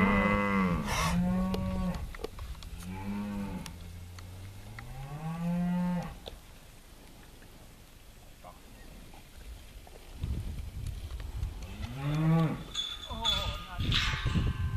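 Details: Bonsmara cattle, a herd of cows four to five years old and bulls; several deep, drawn-out moos rising and falling, a quieter gap in the middle, then another moo and rustling, clattering farm noise toward the end.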